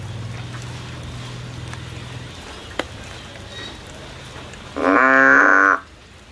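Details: A frog climbs a tree searching for a way out. A low background hum and a soft tap come first, then near the end one loud, even-pitched, buzzy call lasting about a second.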